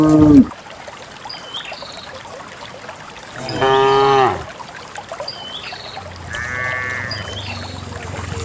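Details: Dozens of cows walk on a quiet morning through wet paths and wild grass toward a green valley in the countryside; two harmonic moos stand out amid steady background hiss, with faint chirps of small birds between them.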